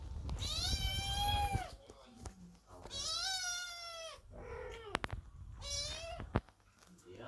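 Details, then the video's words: Kittens waiting outside a door while the cat Chloe gives birth, meowing loudly: three long, strained, harmonic meows each lasting over a second, separated by short pauses, with a quieter lower meow and knocking clicks between them in a small room. "Котята громко мяукают под дверью, когда кошка Хлоя рожает"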